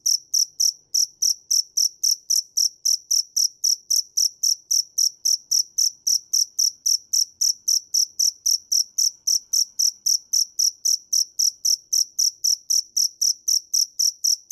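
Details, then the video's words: Dế mèn cricket call: a long, even series of shrill pulsed chirps at about four per second, bright and high-pitched, continuing without pause in quiet surroundings. "Tiếng dế mèn hay nhất 2017 - The crickets - Cricket"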